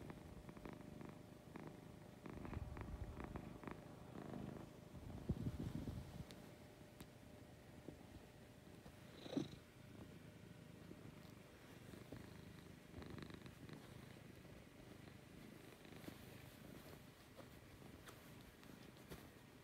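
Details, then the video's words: Lucy, a pet cat, purring in the morning: a soft, low, steady rumbling purr that pulses with her breathing and swells louder around five seconds, with faint light rustles over a quiet background. "Lucy Purring in the Morning."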